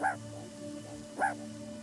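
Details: A male sentinel meerkat at a sanctuary gives two short, froggy croaks about a second apart, warning the group that the threat is still there, as the others stay hidden with a person sitting nearby.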